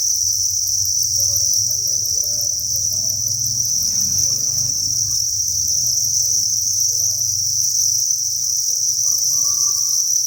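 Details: Thousands of crickets chirping together inside a cricket breeding farm, a dense, continuous high-pitched shrill trill with no pauses, over a low hum and faint soft murmurs in the background.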